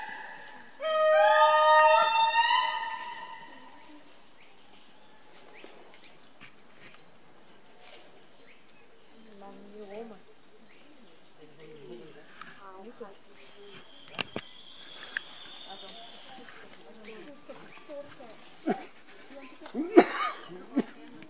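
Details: An indri gives a brief, loud, wailing call with a rich, modulated tone, followed by people talking.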